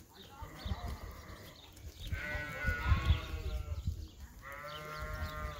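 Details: Lamb, thrilled to be outside on a sheep farm, gives a faint bleat, then two louder quavering bleats with stacked harmonics, set against steady low-pitched background rumble and thumps.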